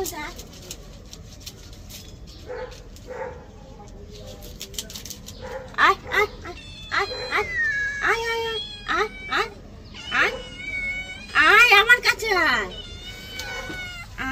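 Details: Cat during a bath gives a run of short, arched meows, some rising then falling, growing longer and more strained toward the end, with a human voice talking in between.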